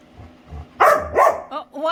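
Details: Female pet Labrador retriever playing with her owner, making funny sounds: two loud, harmonic, grumbling bark-like bursts in quick succession, followed by two shorter, higher yelps. A person speaks softly just before.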